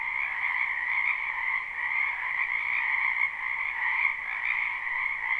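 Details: Many frogs croaking in a wetland behind a house in spring, recorded live without looping: a dense, unbroken chorus of overlapping trills forming steady high and lower bands, gently pulsing in loudness, with no other sounds.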